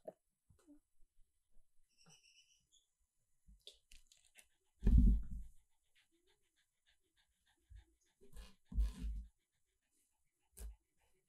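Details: Niknok, a rescued Shih Tzu, eating dehydrated anchovies indoors: loud crunching bites in bursts near five and nine seconds and a last crunch near the end, with quiet clicks and small mouth sounds between.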